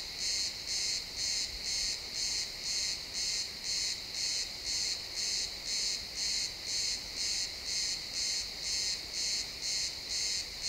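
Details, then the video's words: Chirping crickets in a pine wood at sunset, recorded in real-time stereo: a long even series of high buzzy pulses, around two per second, regular as a metronome, with quiet forest ambience underneath. "Cricket sounds in the pine forest"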